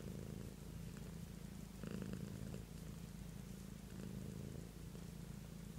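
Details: Pet cat named Beatrice giving a continuous low purr, a deep vibrating rumble that pulses gently with her breathing, one louder surge near the middle.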